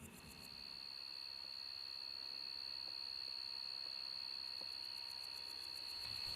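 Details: In autumn on a prairie grassland with wildflowers, a steady high insect chorus: grasshoppers buzzing with their wings give a continuous shrill tone, and crickets add faint pulsing chirps above.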